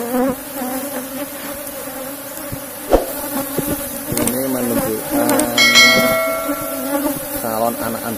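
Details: Box-hive colony of Asian honey bees (Apis cerana) buzzing during a honey harvest; a continuous low hum under sharp knocks, wavering pitched sounds and a brief high ringing tone.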